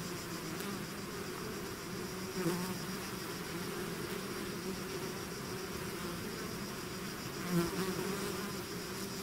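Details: Honeybee swarm pouring out of its hive, a dense continuous buzz of many wings with overlapping droning tones around the low and middle register, steady throughout, with a couple of brief louder passes of a bee near the microphone.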